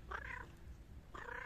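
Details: Hungry homeless cats fed homemade rice and chicken at night; two short harmonic meows about a second apart, over low background rumble.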